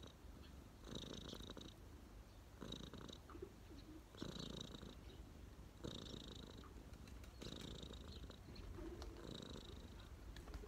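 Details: Street cat relaxing on someone's lap, giving a steady throaty purr in rhythmic breath-driven surges, about six louder pulses spaced near 1.6 seconds apart.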